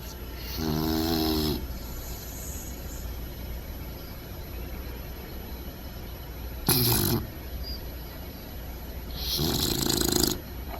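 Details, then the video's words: Bentley the bulldog puppy asleep upside down, his snoring deepening after a few months; three loud rasping snorts near 1, 7 and 10 seconds separated by quiet breathing, low hum underneath. "Bentley the Bulldog Puppy Snoring!"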